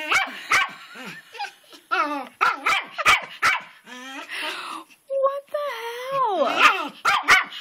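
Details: Pet dog Twitch barking outdoors at a rock in a rain-soaked flower bed, jumping back and forth and circling it; sharp, loud barks repeated in quick bursts, mixed with a man's puzzled talking and some whining-like tones.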